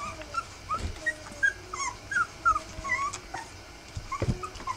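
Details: Rough Collie puppies three weeks old give repeated high, thin whimpers about three times a second, short squeaks that bend up and down, over quiet rustling and occasional thumps.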